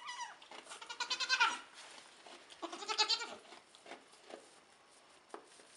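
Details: High, wavering bleats from a Nigerian Dwarf goat doe and/or her triplet kids (2 doelings, 1 buckling) only a few hours old; two loud calls a couple of seconds apart, then softer ones.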